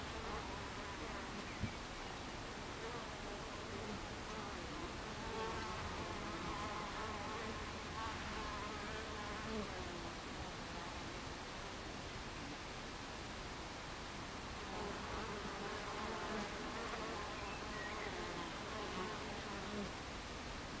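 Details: Honey bees at a beehive entrance on 26 July 2013 around 14:30, a dense continuous buzzing hum with many overlapping wingbeat tones drifting up and down, steady throughout with a brief click near the start.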